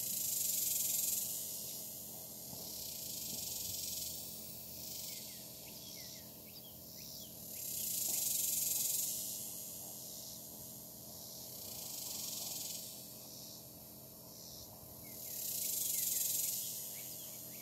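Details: Cicadas very active on a hot July day, a dense high hissing buzz that swells and fades in waves about every seven seconds, with chime-like ringing tones over the top.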